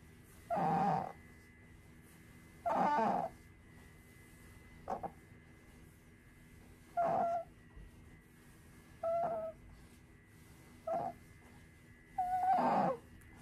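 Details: Female pet otter Sakura crying over and over while drifting off to a nap indoors: a loose series of seven squeaky, wavering cries, some brief and faint, others fuller, spaced one to two seconds apart over a faint steady hum.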